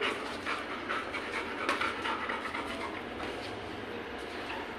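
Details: Labrador Retriever named Goku, a pet dog in a playful, mischievous mood while being coaxed with ice cream; rapid, breathy panting repeated a little over twice a second, soft hissing bursts over steady background hum.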